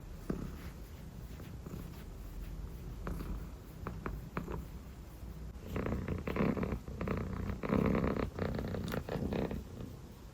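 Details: Sleepy dilute calico kitten purring and yawning indoors; steady low rumbling purr throughout, growing louder and breathier in rhythmic bursts during the second half.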